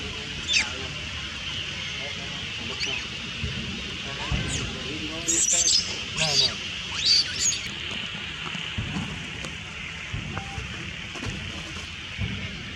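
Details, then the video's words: Young female monkey loudly crying while other monkeys take her food, giving a run of sharp, high squealing cries in the middle stretch over constant buzzing background noise and low outdoor rumble. "Little Monkey Loudly Cry Scare Another Monkeys Steal Her Food"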